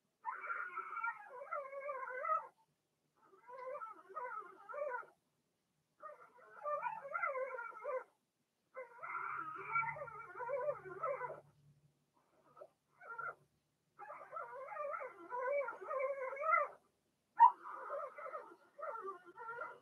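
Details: Cavalier King Charles Spaniel puppies, six Blenheims from Remy's first litter, whelped March 7–8 and kept in a home puppy pen; nearly continuous stretches of nasal, quavering whines and yelps, broken by brief pauses, with a faint low rumble mid-clip.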